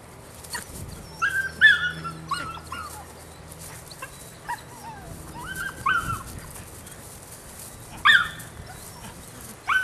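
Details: Rodin/Katana female puppy, nine weeks old, giving high, squeaky yips and short whining barks in small clusters, with pauses between bursts and a final sharp yelp; quiet low background hum throughout.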